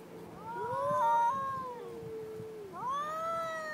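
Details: Two aggressive cats wailing together: one long, sliding, moaning yowl that dips low, then a second rising howl cutting in near the end, the voices overlapping.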